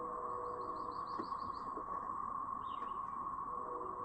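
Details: A brood of cicadas in Chapin, South Carolina, on May 7, 2024, makes a steady, droning, siren-like chorus, with a few bird chirps above.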